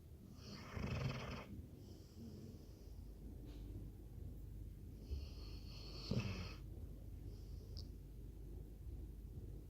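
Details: Labrador Retriever asleep and snoring: two long, rasping breath bursts, the first near one second and the second around five to six seconds, each with a deep rumble and airy hiss, separated by quieter breathing.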